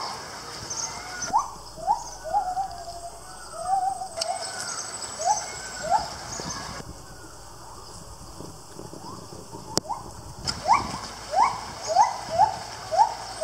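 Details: A gibbon at Lisbon Zoo in 2019 gives a run of loud, rising whooping notes in quick succession.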